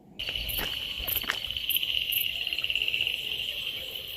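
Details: Crickets at night around a resort deep in the forest near Munnar, completely dark all around; a continuous shrill trilling drone, with a few clicks and bumps of handling noise at the start.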